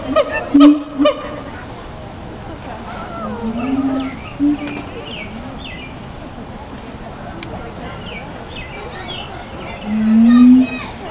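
A siamang gives low, rising hoots and short barks, with faint higher chirps in the background.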